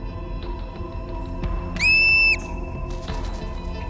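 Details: Olympic marmot (Marmota olympus) in spring after hibernation gives one shrill, steady alarm whistle, about half a second long, over soft background music, warning the colony to take cover from an approaching young eagle.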